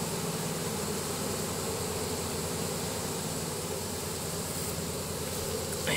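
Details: Honey bees of a swarm entering their new hive box. A continuous buzzing hum carries on throughout, with a faint knock at the very end.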